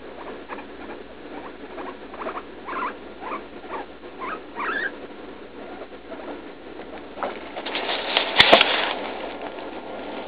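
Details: Pet guinea pig Leslie, about three, squeaking in pain while going to the bathroom after a leaf-lettuce treat; rapid, uneven chain of short rising squeaks, several each second, then a sharp loud rustling burst near the end.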